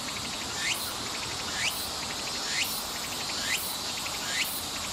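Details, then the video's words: A Tsukutsukuboshi (Walker's cicada) sings in summer at Nishi Park, Sendai, Miyagi Prefecture, Japan, on 14 August 2014: a shrill, buzzing phrase with a rising sweep, repeated about once a second. "Japanese Summer Sound (Tuku-Tuku-Boshi Cicada) ツクツクボウシの鳴き声３コーラス分"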